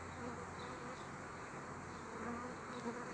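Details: Honey bees forming a new colony from a frame holding bees and a queen; a steady, dense hum of many wings, broad and continuous, with faint higher tones drifting in and out.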